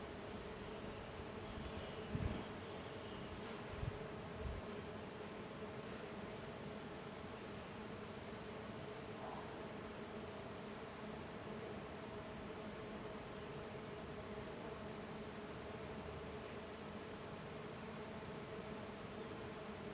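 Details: Small golden jatai stingless bees, Tetragonisca angustula, in intense activity outside their hive: a dense, steady droning hum of many wings continues throughout, with a few brief soft knocks near the start.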